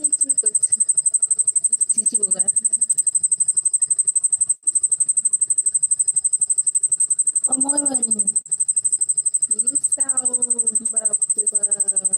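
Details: Cricket calling loudly while its wings are seen moving: a shrill, very high pulsed trill in rapid, steady beats throughout, briefly overlaid by excited Bengali voices near the end.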